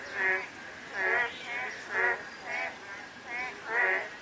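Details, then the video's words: Frogs calling on a drizzly day in Korea, a series of harmonic, nasal croaks repeated roughly every half second to second, each with a rich buzzy band, over a soft hiss of light rain. "가랑비 내리는 날/개구리 소리"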